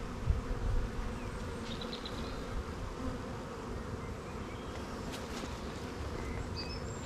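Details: A beekeeper's opened hive hums with honey bees, including many young bees, in an apiary; an even low buzz throughout, with soft knocks at the start and faint distant bird chirps.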